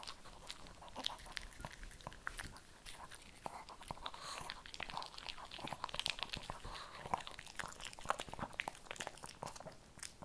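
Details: Shih Tzu crunching kibble in a small indoor room: dense, rapid, sharp crackling bites follow one another steadily for the whole stretch, several per second, with no other sounds standing out.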